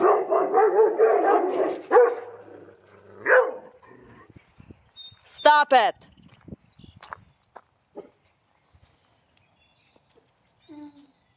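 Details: Central Asian Shepherd Dogs fence fighting. Deep, harsh growling barks come in a rough burst for about two seconds, then another snarl. Later come sharp higher yelps and scattered faint knocks, with a person's voice scolding.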